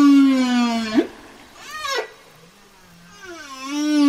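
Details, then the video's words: Whale vocalization: a loud sliding moan falling in pitch, a short swooping cry, then a wavering rising wail, rich in harmonics with quiet gaps between. "Whale Sounds"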